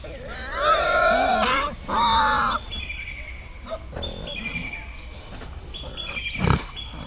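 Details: Wild boar in a forest, with piglets mentioned: two loud, harmonic squealing calls in the first few seconds, each about a second long, then quieter, with thin whistled bird notes and soft rustling in the background.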